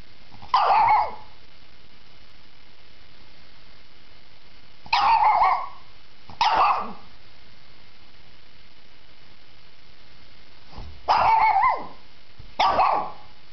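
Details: A Shih Tzu gives five sharp barks spaced irregularly across the stretch, some single and some close together, with quiet pauses between them.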